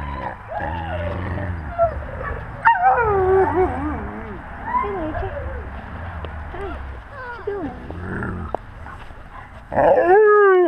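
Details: Wolves among the pack, captured on a GoPro at wolf eye level; many overlapping whimpers, squeaky yips and wavering whines from several animals, with a low rumble underneath and a loud burst of rising whines at the end.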